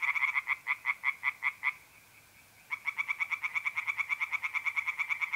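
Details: April night in north-east Italy, tree frogs singing in a pond: a series of loud pulsed croaks, a brief pause, then a faster, denser run of croaks resuming.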